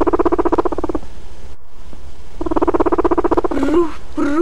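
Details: An adult guinea pig put together with another gives a low, rapid, buzzing rumble, pulsing about four times a second, a sound of marking territory and recognising its companion.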